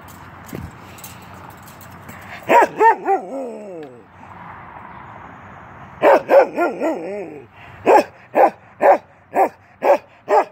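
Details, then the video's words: Keweenaw, a 10-month-old male Norwegian Elkhound, plays through a fence with quick barks that stretch into wavering, falling howl-like yelps, then a fast, steady run of sharp barks at the end. "Norwegian Elkhound playing."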